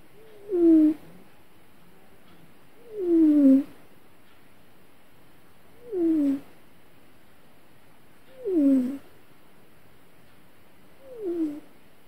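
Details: Domestic cat crying out while having a bad dream indoors: five short whimpering mews, each sliding downward with clear harmonics, spaced roughly every two to three seconds, with quiet room background between them.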